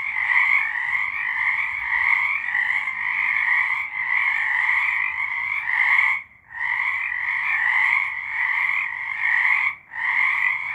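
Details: March 2023 recording of many frogs calling together, a continuous shimmering wall of rapid trilled notes, interrupted by two sudden short silences about six and ten seconds in before the chorus resumes at full strength.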